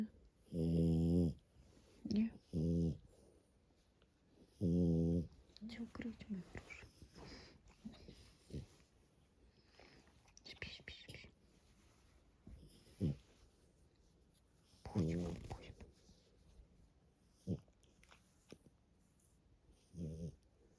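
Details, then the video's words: French Bulldog Matilda asleep at home, a few deep, rumbling snores early on, then scattered snorts and breaths mixed with a woman speaking softly and household clicks. "НЕЖНЫЙ ХРАП МАТИЛЬДЫ * ФРАНЦУЗСКИЙ БУЛЬДОГ"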